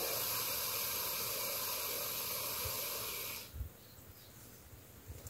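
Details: Boa constrictor in a cranky mood, Belize jungle, exhales a continuous broad hiss for about three and a half seconds, then it stops abruptly, leaving quiet with a few soft low bumps.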